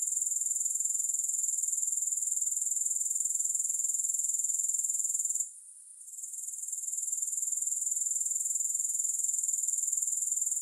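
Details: Grasshopper chorus without music: a shrill, rapidly pulsed trill that cuts out abruptly just past five seconds, then swells back within about a second to its steady, high buzzing pulse.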